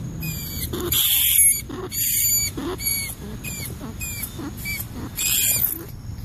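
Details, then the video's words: A rat giving a series of short, high, harmonic squeaks, roughly one or two each second, some sharp and chirp-like, others longer and harsher, over a steady low background hum. "Tiếng Chuột kêu | The Sound of the Rat"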